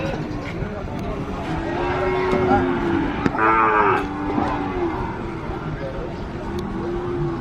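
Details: Two cows heard amid a busy background, with several drawn-out low moos and a brief louder, brighter call near the middle, plus faint voices and steady noise throughout.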